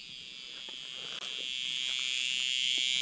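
A cicada's loud, steady electric buzz, high and shrill, swelling slightly toward the end.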